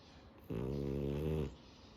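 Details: French Bulldog asleep, giving a single steady low rasping snore about one second long, rich in deep harmonics, with quiet breathing before and after.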